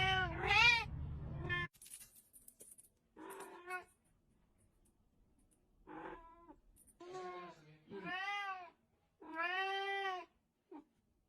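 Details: Domestic cat meowing repeatedly indoors, a series of drawn-out, arched meows with rich harmonics, some rising then falling, separated by short pauses, with a brief low rumble at the start and faint rustling between calls.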